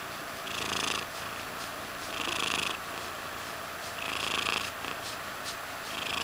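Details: Contented purring by Mysli the cat, rising into a louder, airy burst roughly every two seconds with each breath, quieter rumble between.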